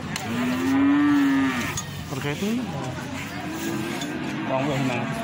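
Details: A drawn-out, steady moo rises loud early on from feeder cattle at Plaosan cattle market, Magetan. Softer lowing from other animals and the background murmur of people at the market follow.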